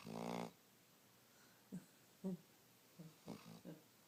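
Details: Dog asleep, giving one short rasping snore at the start, then quiet, with a few faint snuffles and breaths afterwards.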